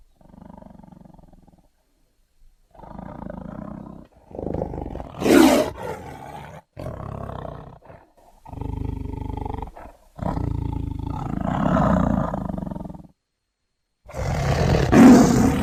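A Bengal tiger gives a series of deep, rough roars, each a few seconds long, separated by brief pauses.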